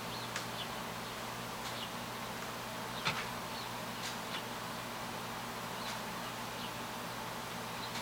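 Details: A swarm of honey bees on a Saturday, a dense steady hum with a low drone underneath, and brief sharp ticks and clicks scattered throughout.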